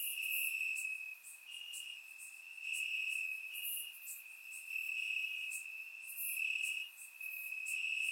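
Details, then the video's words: Crickets chirping in grass on a warm summer night in Bulgaria, captured with a surround microphone: a steady high-pitched trill that swells and fades in waves about every second, with fainter higher chirps from other insects layered above. "Cricket Sounds - Crickets Chirping at Night"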